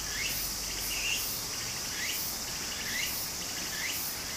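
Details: Cicada voices at a summer stream in Japan: a continuous high buzz with five or so short rising chirps spaced under a second apart, and the gentle wash of the stream.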